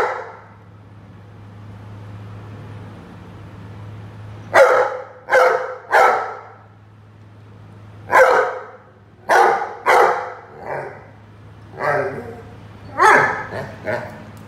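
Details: Playing with a watering can, a Rhodesian Ridgeback lets out a run of loud barks in groups of two and three, some softer ones trailing, after a quiet opening with low hum.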